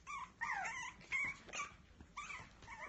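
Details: A Biewer Terrier puppy gives repeated plaintive whimpers, high and slurred downward, some sharper and yelping, with brief gaps between cries indoors.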